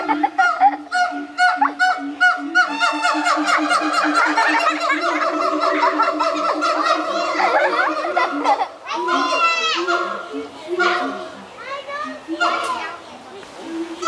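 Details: Siamangs Pete and Sapphire, pair at Brevard Zoo, in morning chorus from their island with throat sacs inflated: fast run of low booms beneath accelerating whoops, then rising shrieking barks climbing sharply and tapering off.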